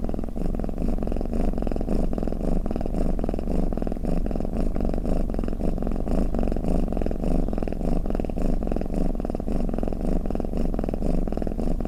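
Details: Pet cat rumbling in a long purring snore, a deep, rapidly pulsing hum that stays constant and uninterrupted across the whole recording.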